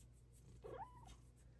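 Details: Luxe, a female Bengal cat, chatting with her owner at home; a single short, soft meow-chirp that rises then falls, lasting under a second, over a steady low household hum.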